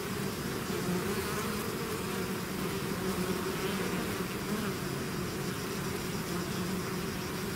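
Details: Bees swarming out of their hive make an unbroken, even droning hum, many wings buzzing together at a low pitch with slight wavering throughout.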